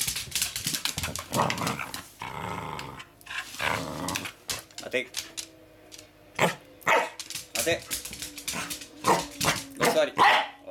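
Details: Pembroke Welsh Corgi growling while playing with a toy: rough, grumbling rumbles and a few short barks in bursts, mixed with a person's spoken commands.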